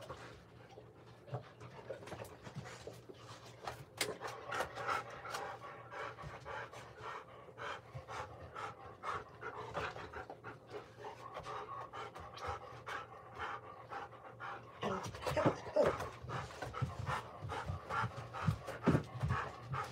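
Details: Golden Retriever caught on an indoor surveillance camera, panting in rapid, uneven breathy bursts, about two and a half per second, with a steady low hum beneath and louder, denser panting in the final five seconds.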